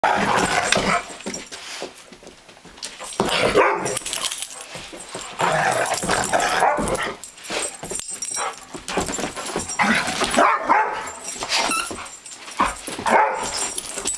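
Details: German Shorthaired Pointer at play with a three-legged dog, the pair squabbling over a squeaky toy duck: rough growls, snarls and short barks in bursts, with scuffling and squeaks between them.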